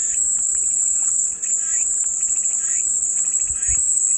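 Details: Cicada chorus offered as calming white noise: one unbroken, shrill, high-pitched drone holds steady throughout, with soft, scattered chirps from other creatures faintly beneath it.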